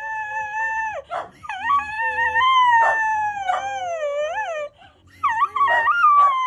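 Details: A male Cocker Spaniel "sings" on cue, howling in long, wavering tones that rise and fall, broken by short yelps.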